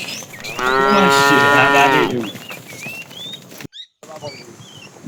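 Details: Herded tame cattle in the afternoon, a fat cow calling the female: a long, loud, steady moo of about one and a half seconds with stacked harmonics, then quieter bird twitters and a brief dropout.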